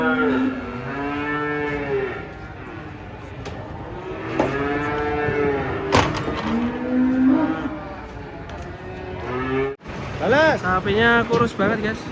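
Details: Cattle leaving a truck moo in long, steady harmonic calls, with a sharp knock near the middle, then a burst of quick, higher wavering moos toward the end.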